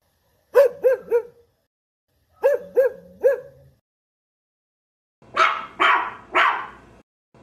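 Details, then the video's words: Small pet dogs, a cocker spaniel, a maltese and a beagle, barking: two bursts of three short, high, tonal yaps, then three harsher, broader barks in quick succession, with a final clipped bark. "Cute dogs barking - Cocker spaniel, maltese and beagle."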